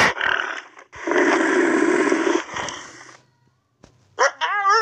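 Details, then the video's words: Pig or boar making a coarse, grinding growl, then a longer raspy roar, a quiet pause, and finally a high, wavering squeal. "Pig & Boar Sound"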